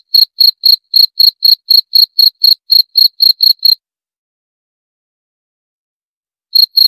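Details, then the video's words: Cricket chirping in short, high, ringing pulses about four per second for nearly four seconds, then near-total silence before the chirps resume briefly at the end; no other sounds. "7 Menit Suara Jangkrik - 7 Minutes Cricket Sound Effect"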